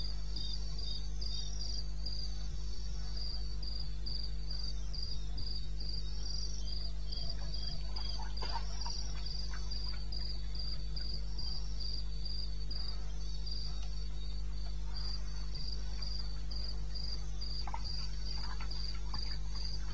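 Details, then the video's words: A cricket chirps in a high, steady rhythm, about four pulses a second, over a low rumble, recorded in the wilderness of eastern Botswana at 2:30 AM on 21 May 2016. "1 Hour cricket sound-Africa-No loop-Real recording. Not edited."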